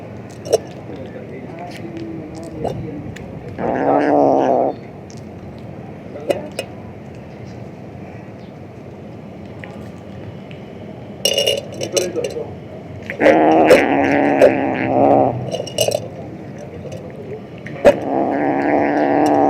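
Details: A male house cat grumbling loudly at his food, giving several drawn-out, wavering, moaning growls separated by quiet stretches of clicks and chewing, with a brief human voice in the room.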